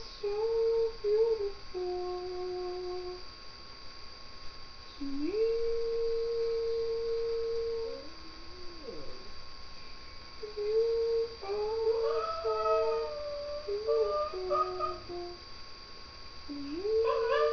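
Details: Milo, a pet Shih Tzu, singing indoors in a small room: drawn-out, tonal howled notes, some sliding upward into long steady tones, others short and wavering, in several phrases with brief pauses, over a faint steady electrical hum.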